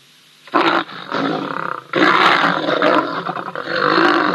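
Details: Grumpy older lion picking on a younger one at Ol Donyo, filmed by a live wildlife camera on 3 March 2023: loud, harsh snarling growls in three rough bursts, each swelling and breaking off, with a faint background hum.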